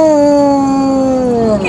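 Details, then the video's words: Badger, a pet female basset hound singing the blues on command: a long, loud, steady howl with rich harmonics that slowly sags in pitch, ending in a brief break. "Badger sings the Blues"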